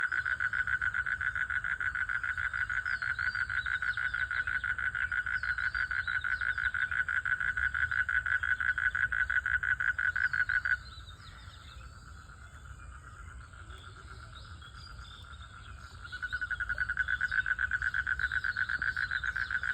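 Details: Frogs in a village pond, calling during mating, trill in a dense, buzzy pulsing chorus that breaks off briefly, then starts up again.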